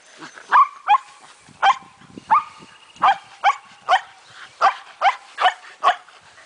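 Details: Shetland Sheepdogs, four females, play ball together, one of them heavily pregnant. About eleven sharp barks are spaced roughly every half second, some doubled, each with a brief rising tonal edge.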